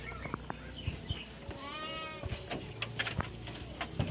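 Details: Garut sheep being herded out to graze, one wavering, tremulous bleat near the middle rising slightly then fading, amid scattered clicks, thumps and faint human voices.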